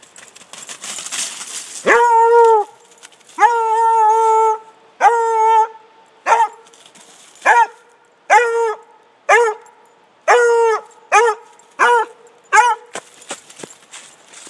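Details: Lucy, a Redbone Coonhound, running and howling in the woods: a series of about eleven loud, tonal baying howls, the first few drawn out and steady, the later ones shorter and bending downward, separated by brief quiet gaps.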